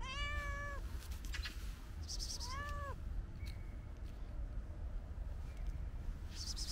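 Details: Female cat searching for food behind a fence in a park; two clear meows, a long level one then a shorter arched one, followed by rustling and faint distant noise.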